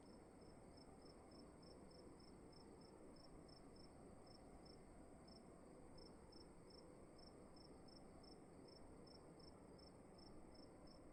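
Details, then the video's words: A cricket calls in a darkened room at night with regular, evenly spaced high chirps, roughly three each second, steady throughout over a soft constant background hiss and low hum. "Sound of emptiness and crickets in the room"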